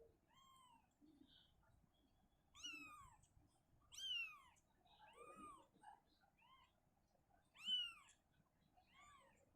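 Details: Mother cat Shizuka relocating her kitten from a cabinet to an open area indoors. High, short meows come in an irregular series of about five, each falling in pitch, with quiet pauses between.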